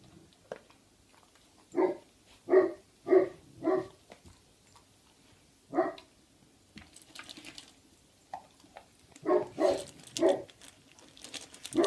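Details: Three-month-old Great Pyrenees puppy named Libre, indoors at home eating dry kibble, February 2015; short husky bursts come in a run of four about half a second apart, then an isolated one, then another quick cluster near the end.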